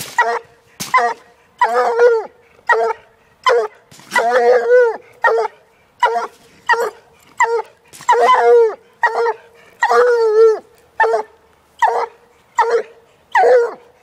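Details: A one-year-old female Walker hound baying at a caged raccoon, only the second raccoon she has seen; loud, harmonic, drawn-out bawls repeated roughly every second, each rising then falling.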